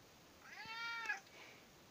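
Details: Indoor British Shorthair cat demanding breakfast: one clear, harmonic-rich meow lasting under a second, rising slightly then falling away, followed by quiet room background.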